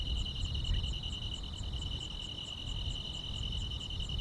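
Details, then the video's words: Summer-night chorus of grass insects, a continuous shrill trill holding level while quick higher pulses tick along several times a second; soft low-pitched rumble underneath. "여름밤의 포근한 풀벌레 소리"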